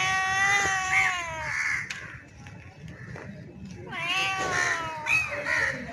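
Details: Mating yowls from a male street cat that looks like a bengal, calling a female in heat. A wavering, descending moan opens, then a quieter pause with faint clicks before a second yowl swoops down and trails off.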